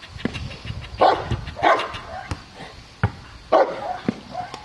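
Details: Cane Corso named Aaron, 14 months old, barking during IPO protection training at Cascina Crimea, Cavagliano, Italy; three loud, harsh barks spaced about a second apart, with sharp thuds and clatter between them.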